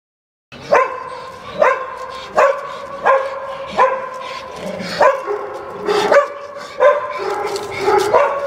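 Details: Dog during a training session in Genoa, Italy, with an American Staffordshire terrier and a Staffordshire bull terrier present: high, whining yelps repeated roughly every three-quarters of a second, each with a sharp onset, under a trainer's calm commands.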